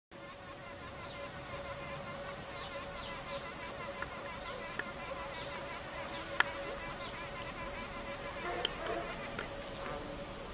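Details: Female Asian mud-dauber wasp (Sceliphron curvatum) beside a playground drinking fountain, vibrating soaked soil to soften it into mudballs for a brood cell. A steady, even buzz holds one pitch with overtones throughout, with a few faint clicks.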